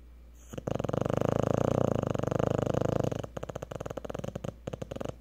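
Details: A Cocker Spaniel asleep after a hard day at the park snores with a rapid, fluttering rattle that breaks into choppy bursts.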